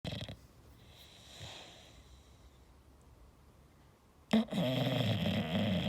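An English bulldog snores with low, rasping, rattling breaths between quiet pauses.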